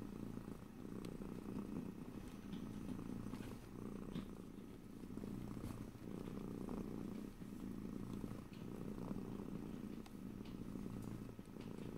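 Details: Twelve seconds of a domestic cat's steady, throbbing purr, rising and falling in soft regular swells, with faint rustles and no voices.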